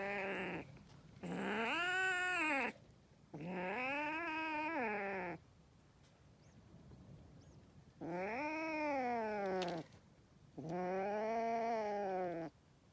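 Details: Angry kitten giving four long, drawn-out yowls, each about a second and a half, rising then falling in a smooth arch with rich harmonics, separated by short quiet gaps.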